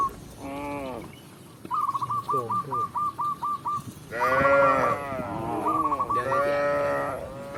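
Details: Tame cows returning to the pen with a village shepherd: a rapid series of short chirping whistles, then two or three strong, rising-and-falling moos near the end, with a faint voice-like murmur.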